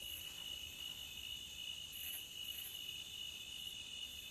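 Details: Cricket chirping at the beach, a steady unbroken high ringing trill with one brief brighter swell midway, low soft hiss beneath.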